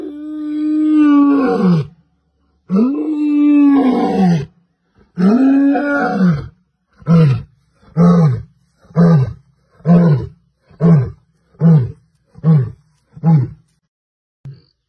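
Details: Lion (Panthera leo), roar.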